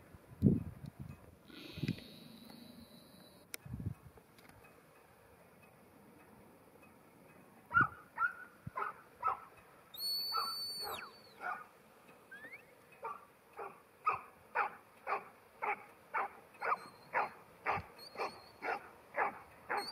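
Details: Ruby, a ten-month-old female New Zealand Huntaway, barks in a steady run of loud repeated barks about twice a second, preceded by scattered knocks and handling noise, with high whistles sounding in between.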